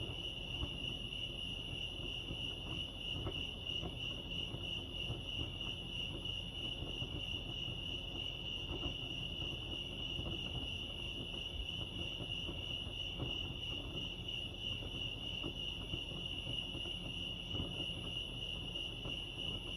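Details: Crickets chirping at Lake Arrowhead, California: a steady, unbroken high trill holding one pitch throughout, with soft low rumble and faint background noise beneath.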